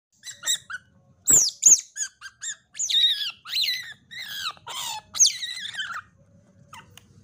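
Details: Otter described as white-footed and white-tailed, a ringtail, giving a rapid series of shrill, high squeaks and chirps, some sliding downward, in short bursts over several seconds, with quiet room hum beneath.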